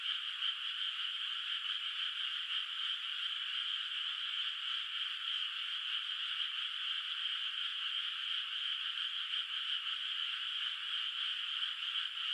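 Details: Frogs calling at night in a moonlit countryside rice field, the flooded water not yet planted; a dense, steady chorus of overlapping high trilling croaks blends into one continuous shimmering wall of sound, with no other noises.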